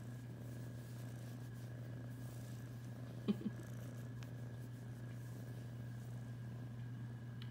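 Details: Indoor house cat Tornado, a female, purrs steadily in a continuous low throbbing rumble under a constant mains-like hum, broken by two faint clicks midway.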